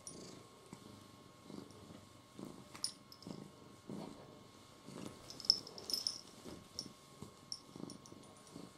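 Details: Domestic cat described as jealous, indoors: soft, low purring pulses swell and fade roughly every second, quiet throughout, with faint high clicks and small rustles in the room.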